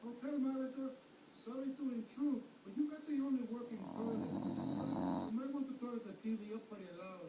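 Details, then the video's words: Tater, a pet dog, vocalizes while wanting a popsicle stick: a run of moaning, grumbling whines with wavering pitch, rising and falling in short phrases, broken midway by a burst of rustling noise, indoors. "Sounds like tater wants this popsicle stick"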